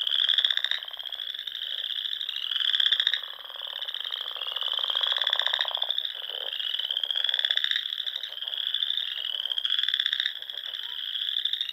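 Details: Dusk frog chorus from a Sandhills pond in Nebraska during spring: many callers forming an unbroken high trill, punctuated by louder pulsed calls roughly every two seconds and lower ticking rattles beneath.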